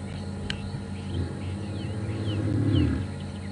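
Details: A male lion at Djuma/Arathusa, South Africa, on an afternoon drive on 15 January 2015, starts a roar softly with deep grunting moans that swell, possibly contact calling to a brother, aware of other males nearby.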